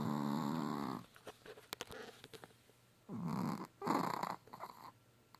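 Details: Pet dog Hallie snoring: a long raspy, buzzing breath with stacked harmonic tones, then quiet rustles, followed by two more rough snoring breaths about a second apart.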